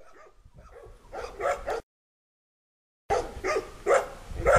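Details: Five puppies walking in a yard with their mother, still staying close to her; short yips and barks come in clusters, with a quiet pause in the middle and louder repeated barks afterward.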